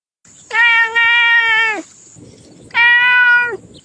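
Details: Domestic cat called Mr Kitters giving two long, drawn-out meows, the first about 1.3 seconds and the second shorter, each steady then dropping at the end, with a faint high electronic whine in the background.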